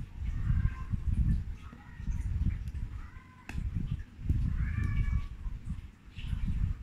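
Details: A male Bengal stud cat at a Malaysian cattery, 2019/2020, gives a few short, rising meows over heavy low rumbling background noise.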